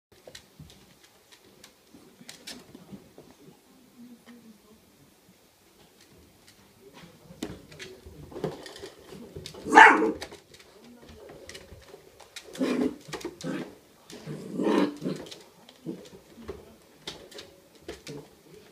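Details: Miniature Dachshund puppies give a few short, sharp barks and yips among rustling and clattering indoors as they react to an IQ puzzle toy; filmed 16 September 2016.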